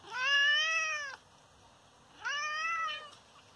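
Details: Father cat, injured after being hit, lets out two plaintive, sustained meows about a second long each. The first arches up and down in pitch, the second is slightly shorter, with quiet between them.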